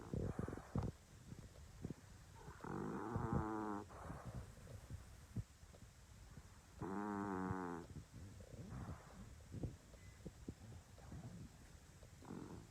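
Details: A sleeping English Bulldog snores in long, rattling, harmonic breaths with quiet snuffles between them.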